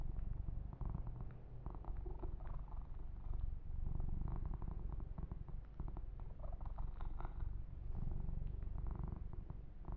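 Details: Close, deep, rhythmic purr from a kitten being massaged indoors, the low throbbing steady for the whole stretch while faint scratchy grooming sounds come and go.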